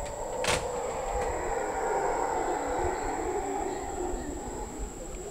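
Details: Howler monkeys howling near a patio at Casa Sonrisa, Osa, Costa Rica, a deep continuous rumbling roar held throughout, with a couple of sharp knocks early on and a constant high-pitched background whine.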